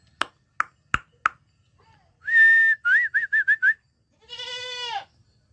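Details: A goat kid bleats once, a short trembling cry, after four sharp taps and a run of high whistled notes, first one long tone and then five quick short ones.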